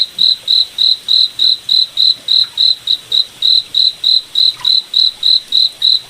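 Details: Night-time forest cricket giving evenly spaced, shrill chirps, roughly three or four per second, each a short bright tone at the same high pitch, over a quiet, low hiss of moonlit woodland.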